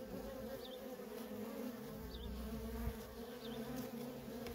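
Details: Worker honey bees at a feral colony keep up a steady, busy drone, while three faint high chirps from a bird sound in the background about a second apart.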